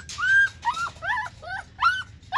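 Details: Siberian Husky in Nepal whining: five quick high, tonal whines in close succession, each sliding up and then bending down, with short gaps between them and no other clear sounds.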